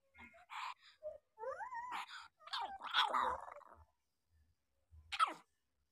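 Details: Puppies born seven days earlier squeak and whine with short rising-and-falling whistled notes, then a muffled grumbling cry, ending in one sharp downward squeak after a pause.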